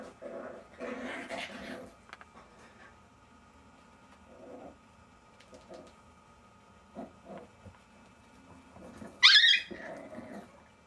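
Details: Jack Russell Terrier puppies of Silvi's litter indoors, giving scattered soft growls and whines, then one sudden high, sharp yelp near the end followed by a short low growl; quiet room between sounds.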